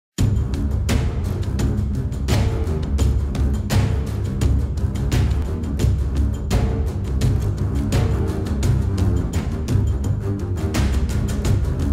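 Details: Loud dramatic music with heavy drum hits plays throughout, with no animal voice heard.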